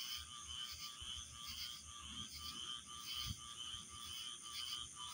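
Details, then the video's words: Chirping frogs in a dense chorus of overlapping high, rapid chirps layered into a steady wall of sound, with no single caller standing out and a faint low rumble beneath. "chirping frogs"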